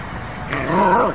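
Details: Siberian Husky giving a single drawn-out, wavering howl-like call that rises and bends, lasting under a second, recorded indoors with household background noise.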